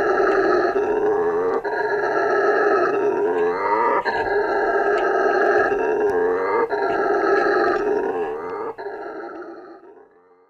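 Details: A male howler monkey roars in deep, rasping, continuous bouts that swell and break every couple of seconds, a call used to defend territory and attract females.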